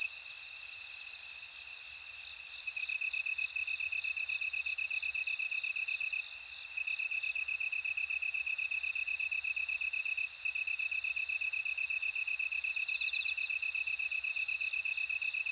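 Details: Bell crickets ringing in a layered insect chorus: a long sustained high tone gives way to groups of quick pulsed chirps, then returns, all over an unbroken beaded trill.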